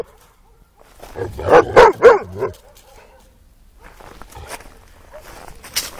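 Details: Young Cane Corso dog barking in a fast cluster of four to five short, hoarse barks, followed by quieter rustling and a faint distant sound.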